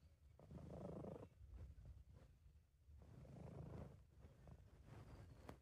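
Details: Relaxed, happy British Shorthair named Sabu purring, amateur home recording; deep throaty purr rising and falling in slow breath-paced waves, two long swells with quieter rumbling between.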